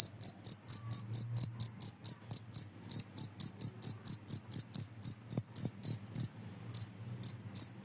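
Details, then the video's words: Cricket noise meant to drive rats out of the house: quick high chirps in rapid bursts with short gaps, a couple of low knocks, and a faint hum underneath. "suara jangkrik ampuh bisa mengusir tikus"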